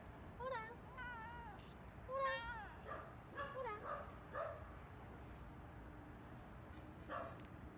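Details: A stray cat in a yard gives a run of clear meows, several close together and then spaced out, some rising and falling, while a woman speaks to it and asks if it dislikes something.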